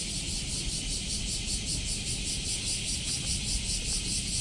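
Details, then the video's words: Osaka cicadas in July 2024, recorded on a walk, fill the air with a loud, shrill buzz pulsing roughly two to three times a second, while low traffic rumble runs underneath. "Catching the sound of cicadas in Osaka"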